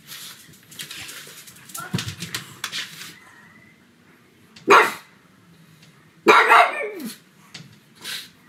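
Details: Pet pug barking loudly indoors on a sunny afternoon. Scattered clattering and rustling come first, then three loud, rasping barks a second or two apart, the middle one stretched and wavering.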